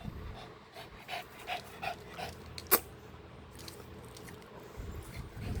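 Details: Dog panting while playing with a ball indoors: soft, quick breathy puffs in a steady rhythm, several per second, with one sharp knock partway through and quiet room background.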